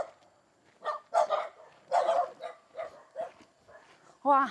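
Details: Farm dogs at an isolated homestead deep in the mountains of Hunan, China, barking so their voices echo across the valley; a few sharp, loud bark bursts spaced about a second apart, mixed with a man's voice, which is clearest at the end.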